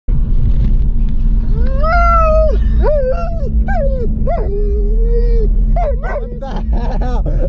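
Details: Male German Shepherd breaking down crying, scared on realizing he is going to the vet: a run of high, wavering whimpers and drawn-out whines, some rising then falling, others held level, over a constant low rumble.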